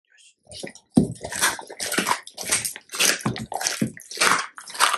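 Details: Labrador Retrievers on a raw-food diet crunching a large raw chicken carcass up close: dense bursts of crackling, splintering bone-crunch repeated about every half second, separated by short silent pauses between bites.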